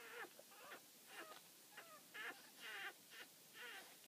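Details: Newborn Boston Terrier puppies nursing right after birth, from a mother's first litter, give high, thin whimpers and squeaks, several overlapping in quick bursts.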